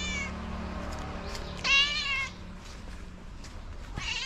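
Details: A stray tabby cat gives a loud, drawn-out meow to summon other cats to food.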